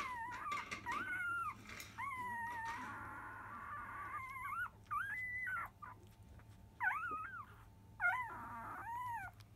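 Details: At the 10 a.m. feed, five-day-old Labrador Retriever puppies of a field line, mother biscuit, whine in drawn-out, wavering tones broken by short yelping rises, with rustling and a low background hum.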